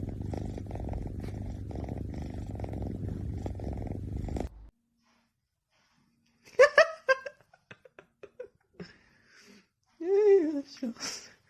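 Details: A cat purrs in a steady, rumbling drone for about four seconds. After a pause come short, bright meow-like calls.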